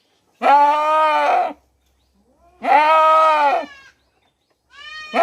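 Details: Goat in Mumbai, India, crying out for its kid: two long, quavering bleats of about a second each, separated by a brief pause, with a third bleat starting at the end.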